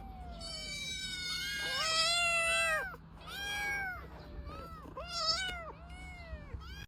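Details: Domestic cat meowing repeatedly, a series of clear, tonal meows, some drawn out and bending down in pitch, others short and rising then falling, over faint low background hum.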